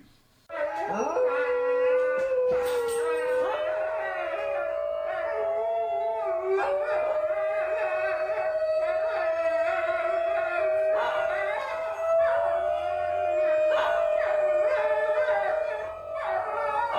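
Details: A group of about four or five New Guinea singing dogs inside a home howl together in a long, steady, tuneful chorus of overlapping voices, recorded in 2017.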